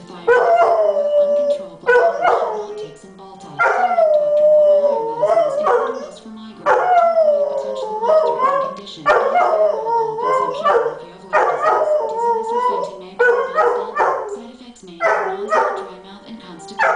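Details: Domestic dog singing along to a TV antidepressant commercial, which is the only thing that sets him off: a run of loud, wavering, downward-sliding howls in bursts of one to two seconds, mixed with music and announcer speech.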